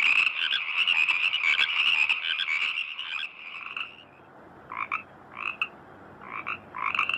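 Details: A dense chorus of frogs in a rice field gives rapid, rattling croaks, then separate pulsed calls.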